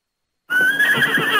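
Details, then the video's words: Opening of a Thoroughbred horse's whinny: after half a second of silence, a strong, high, clear tone begins abruptly and holds steady for about a second with a slight waver. "Sonidos Caballos Pura Sangre"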